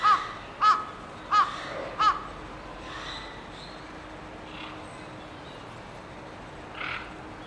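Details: A seven-week-old baby white-handed gibbon (Hylobates lar) gives four short, arched squeaky calls in quick succession, then falls quiet.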